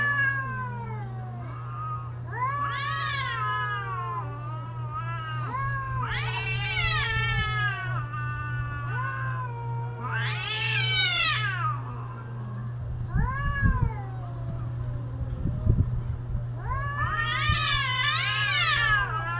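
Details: Cats in mating season trading loud, drawn-out yowls that climb to piercing shrieks and sag again, several separate wails over a steady low hum, with knocking sounds near the end.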